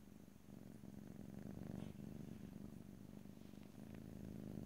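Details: Pet cat purring in close stereo, an unbroken low buzzing rumble pulsing quickly, with faint rustling in the background.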